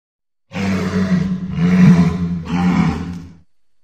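A walrus gives deep, rumbling roars in three long, rough bursts.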